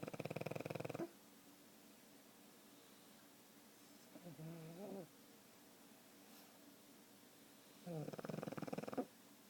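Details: Oscar, a pug, snoring at home: a fluttering snore opens the clip, a soft snuffly sound follows in the middle, and another rattling snore comes near the end.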